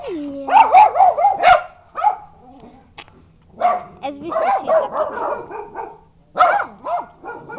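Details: Bichons and a wire-haired dachshund indoors, giving rapid, high yappy barks in clustered runs, mixed with a person talking, plus a low steady hum in the background.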